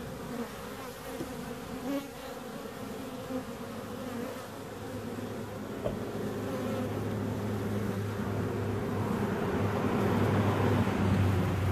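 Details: Steady droning hum of bees, layered low tones holding constant and growing gradually louder toward the end, with a brief click near the middle.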